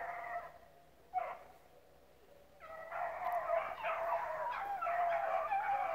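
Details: Rabbit-hunting dogs, a pack with several pups mixed in, running rabbits at Relay Hunt club. Near silence with one short yelp, then from about the third second a steady chorus of overlapping, howling bays from several dogs.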